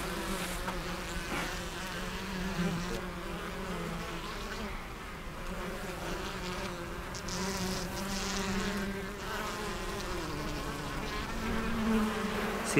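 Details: Western honey bees at an opened hive in spring, colonies healthy with brood and honey: a steady, droning hum of many wings, its pitch wavering up and down, with soft rustles and brief clicks near the hive.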